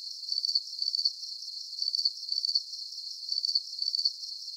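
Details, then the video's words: Crickets for relaxation and sleep, chirping in tight groups of rapid high pulses; the bursts return about every half second in a regular pattern, with only a faint background hiss beneath. "Calming Cricket Sounds"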